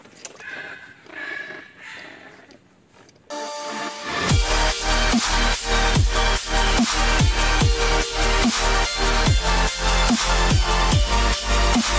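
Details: Quiet room noise gives way after about four seconds to loud electronic dance music with a heavy, steady beat, with no animal voice.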